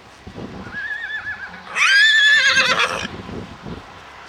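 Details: Icelandic horse foal, recorded on 21 July 2012, gives one loud, quavering whinny of about a second with wavering harmonics. A fainter wavy tone comes just before it, and soft low thumps sound underneath.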